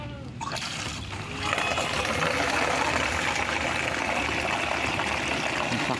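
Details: Liquid trickling and splashing steadily, as when a mix is poured out on a backyard goat farm, with faint speech underneath; no animal voices stand out.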